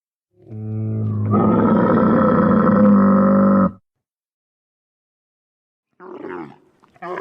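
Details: Camel giving a loud, harmonic, roaring bellow that lasts about three seconds and holds steady in a strong, buzzy tone. It stops abruptly and is followed after a pause by shorter, rougher grunting bursts.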